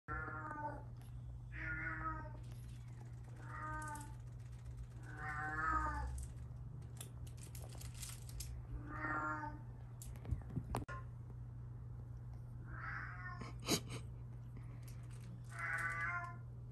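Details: Two British Shorthair kitten sisters, one lilac and one fawn, aged 3.5 months, give a run of plaintive, wavering meows, one every two seconds or so.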